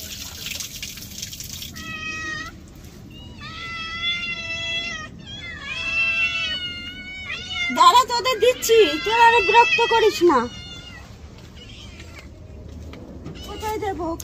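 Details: Protesting against its bath, a domestic cat gives steady, drawn-out cries that swell into a loud, quavering caterwaul of several seconds, then fades, with a woman's voice in the background.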